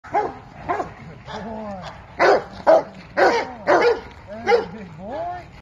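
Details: A Belgian Malinois puppy on its first day: a series of short, sharp barks and yips in quick succession, about two per second, with arched tonal yelps in between.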